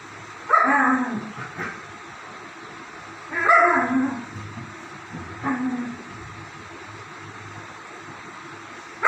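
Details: Two German Shepherd dogs playing: three main bouts of sharp barks sliding down into growly whines, spaced about two to three seconds apart, plus a sudden bark at the very end.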